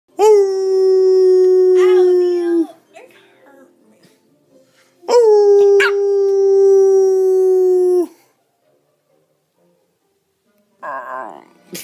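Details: A dog named Lulu gives two long, steady howls, each holding one pitch before sagging slightly at the end, during a howling session with its owner; dog.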